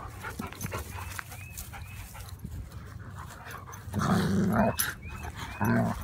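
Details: A German Shepherd and a Labrador play fighting by a garden: rough, noisy growling and snarling bursts, the loudest two late in the recording, over low rumbling background with faint bird chirps.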